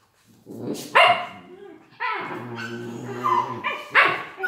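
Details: Collie puppies from an A litter born 21 January 2018, healthy and playful; a burst of harsh yapping barks followed by drawn-out, growly, harmonic whines and yelps in several bursts, with faint human speech in the background.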